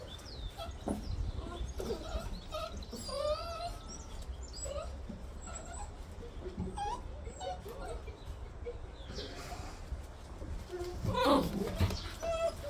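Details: A litter of new Bernese Mountain Dog puppies, September 2023, makes scattered short squeaky whines and wavering whimpers over a steady low rumble, with a few clicks and a louder burst of noise near the end.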